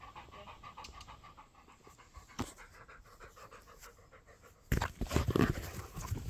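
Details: A Labrador panting softly in fast, steady breaths of about three to four a second. Near the end, a loud rustling burst covers the breathing.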